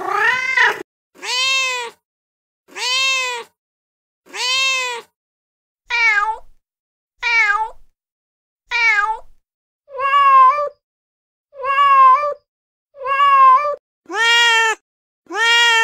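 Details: Feral mom cat calling to her kittens with a long series of short repeated meows, roughly one every second and a half, some downward-curving, others flatter and higher, steady and insistent throughout.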